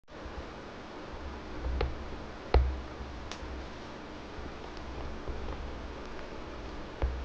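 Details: Low indoor hum with soft rustling and a few faint clicks; no animal sound is present.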